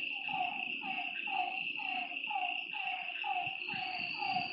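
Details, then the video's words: Short descending frog croaks roughly once per second at a lake after dark, several animals overlapping, with a steady high insect buzz throughout. "Lakeside night creatures and frog sounds"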